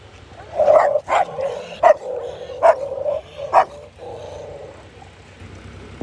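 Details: Rottweiler acting aggressively toward a local street dog, giving a run of deep, harsh barks, about six loud barks in quick bursts roughly every half second to second, trailing into a lower growl-like sound.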